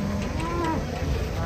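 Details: Cattle being unloaded from a truck, three head in the group; a short, tonal moo with a slightly rising then falling pitch over about half a second, set against steady low engine or crowd rumble.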